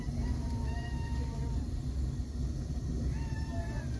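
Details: Fluffy kittens that are growing fast but still wobbling make thin, level, drawn-out mews, two long ones early and another near the end, over a constant low rumbling background.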